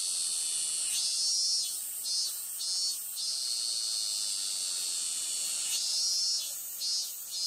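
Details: On 12 August 2020 at a Konpira shrine in Moroyama, a robust (min-min) cicada (Hyalessa maculaticollis) sings loud, shrill, pulsing phrases over a steady high insect drone.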